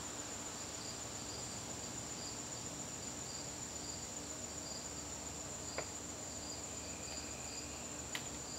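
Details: Garden crickets on a September evening, a continuous shrill whine overlaid by evenly spaced pulsed chirps, with a weaker trill entering near the end and two brief sharp clicks.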